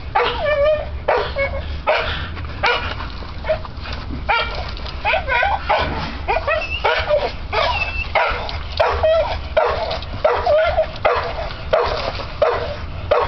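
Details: An American Bull Terrier on a spring pole gives rapid, rough growls broken by short, whiny yips.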